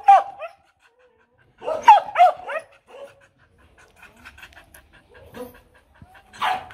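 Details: A female Mong Coc dog at a Vietnamese kennel barks to demand, not to threaten. It gives a single bark, then a pause, then a loud cluster of barks near two seconds, then quiet whimpers and one last bark.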